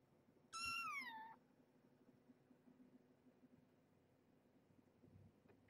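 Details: Domestic cat in a home with Marge, a former pregnant stray taken in via a local shelter, and her nursing kittens during a weigh-in and feeding. One clear, high, harmonic meow slides downward for under a second, followed by a quiet room.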